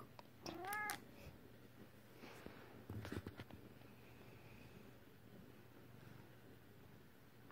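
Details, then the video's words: Female British Shorthair cat meowing once early on, a brief rising-then-falling cry, followed by a few soft knocks and handling noises over a low steady hum. "My Cute British Shorthair, Her Meow is Adorable"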